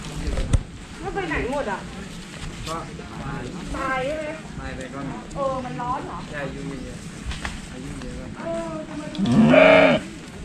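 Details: Young sheep fed grass by hand bleat repeatedly in short, shaky, wavering calls, ending with a loud, strained bleat, over steady human chatter and faint background music.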